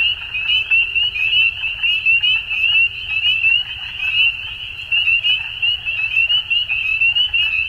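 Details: At dusk, a frog chorus of shrill, rapidly pulsed trills runs without pause, rising and falling in short surges, with a faint low hum underneath.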